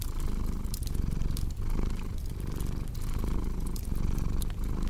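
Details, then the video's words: A cat purrs with a thick, low vibration that pulses gently with its breathing, accompanied by scattered sharp crackles from a cozy fire. "Purring Cat with Cozy Crackling Fireplace Sound"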